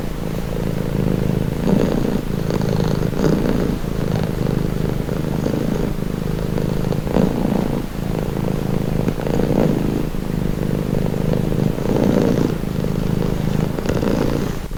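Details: Cat's low continuous purr for calming listening, rhythmic breathy swells every couple of seconds over a faint low background rumble.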